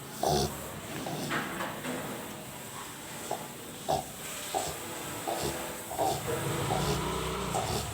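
A sleeping Rottweiler snores with rough, snorting breaths in uneven bursts.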